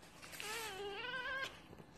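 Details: Single drawn-out cat meow lasting about a second, a clear tonal cry with stacked harmonics that holds level then wavers slightly upward before stopping; faint room noise around it.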